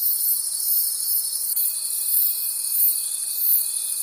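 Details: At night in the forest, crickets produce a fast, shimmering high chorus pulsing about four times a second, joined halfway through by a steady faint whine.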